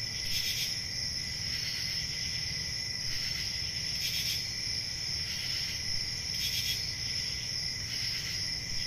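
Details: Crickets chirping through a peaceful country summer night. An unbroken, thin high-pitched trill carries underneath, with sharper buzzy chirps popping out every one to two seconds and a faint low rumble.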